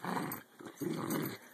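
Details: Adult two-year-old female American Eskimo dog growling while playing tug with a 12-week-old puppy, trying to sound mean in play; two rough, low rumbling bursts separated by a brief pause.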